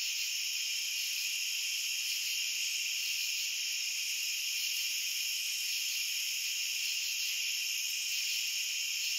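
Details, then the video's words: Continuous high cricket trilling from many insects at once, bright overlapping bands forming an even, unbroken drone and nothing else audible. "Cricket Sounds"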